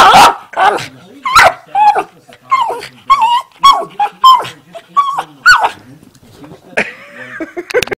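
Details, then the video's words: Two household dogs making funny noises: choppy whines and yelps in uneven bursts, some short barks, with human speech running alongside in an indoor room. "funny dog sounds"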